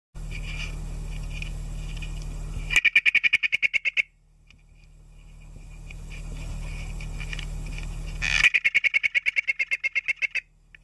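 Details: A leaf bug gives bursts of rapid, rasping clicks, each train lasting about a second and a half.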